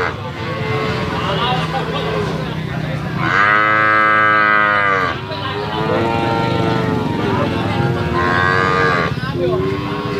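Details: Bali cattle for slaughter at a livestock market, one long, full moo of about two seconds followed by shorter, weaker lows, set against a continuous hum of people and engines.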